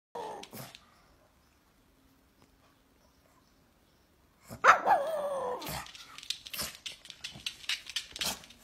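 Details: Pet pug indoors barking in reaction to its owner coughing, which it dislikes: a short tonal yelp at the start, then after a silent pause a longer harmonic, slightly howling bark followed by scattered sharp noises.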